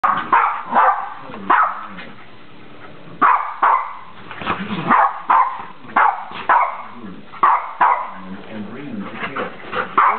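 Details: Puppies at a play date, two playing while a third looks on; sharp barks and yips repeated every half second to second, with rough growly play noises between bursts.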